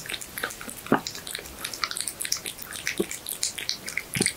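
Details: Pet cat eating raw horse meat in ASMR style: squelchy chewing with bright clicks and a few louder bites, quick uneven rhythm, indoor quiet.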